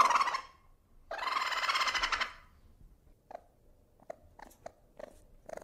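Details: Ferret giving a short tonal note, then a dense, rapidly pulsed chuckling burst lasting over a second, followed by scattered faint clicks and taps in a quiet indoor space.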